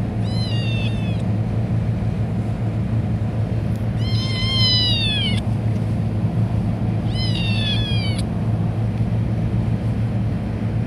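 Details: Pelusita, a pet cat described as a talking cat, gives three drawn-out, high, harmonic meows about three seconds apart, each bending slightly downward at the end, over a steady low hum throughout.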